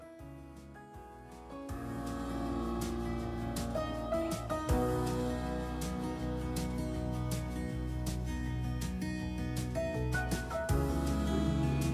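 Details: Gentle instrumental music with strummed acoustic guitar and steady low tones, with no animal sounds.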